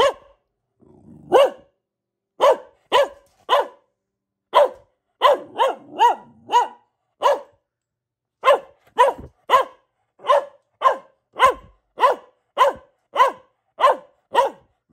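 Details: Luna, a female pet Boxer, barking persistently in a long run of loud, sharp barks spaced roughly half a second to a second apart, with a few low growly rumbles between the early barks.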